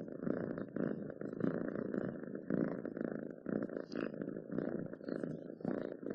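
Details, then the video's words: Domestic cat purring steadily, a low rumbling drone pulsing in soft waves about once a second, each swell rising and easing as the cat breathes in and out; close and indoors, with faint higher crackles above. "7 minutes of Cats Purring to make your day better!"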